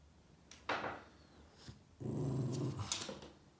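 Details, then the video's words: Boston Terrier named Yoda, indoors, upset while chasing shadows on the wall: a short low rumbling growl, then a longer, louder throaty growl lasting over a second, with faint scuffling between. "Crazy Boston terrier Yoda chasing shadows and growling at them"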